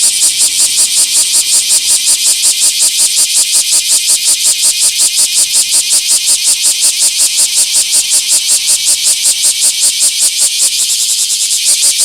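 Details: Bear cicada filmed on 24 July 2026 in a small park, singing a loud, harsh, rapidly pulsing buzz of rhythmic shrill pulses, nearly three per second, steady throughout with no other sounds evident.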